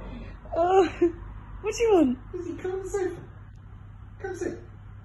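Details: A female Staffordshire Bull Terrier x Rhodesian Ridgeback rescue dog "sings" a run of sliding, whining howls rising and falling in pitch, sounding sad to get attention from a friend who once walked her.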